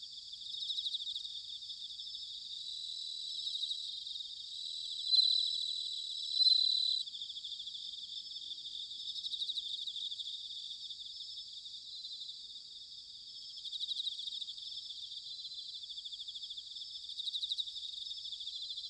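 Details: Japanese bell crickets in autumn, Sanuki, Chiba: two pure, ringing high notes around the middle stand out over a constant, softly pulsing wall of insect chirring that swells and fades.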